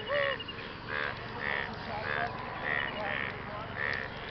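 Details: Frogs calling to attract partners after rain; harsh, nasal croaks with buzzing overtones, repeated roughly every half second to second, several callers overlapping against a steady hiss.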